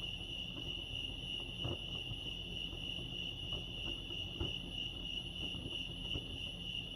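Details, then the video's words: Lake Arrowhead crickets in California produce an unbroken, bright, rapidly pulsing chirp at a fixed high pitch, with a gentle low rumble and a few light knocks in the background. "Serenity sounds crickets chirping lake arrowhead"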